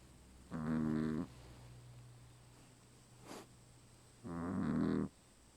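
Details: Two loud, buzzy snores from a dog in deep sleep, spaced about four seconds apart, with a low steady hum in the background.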